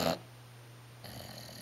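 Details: Jack, a bulldog napping in his favorite La-Z-Boy recliner, snoring: a short breathy rasp at the start, a silent pause, then a longer rough, hissing snore breath, with a steady low hum underneath throughout.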